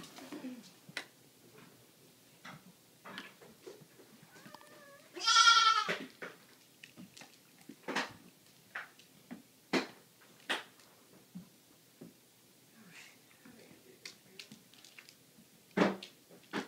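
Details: Baby goat, one of two just-rescued kids, Flower a black LaMancha and Mabel a sable Nubian, babysat indoors among puppy and kitty things; a single loud, wavering, harmonic bleat midway, surrounded by scattered clicks, taps and footsteps.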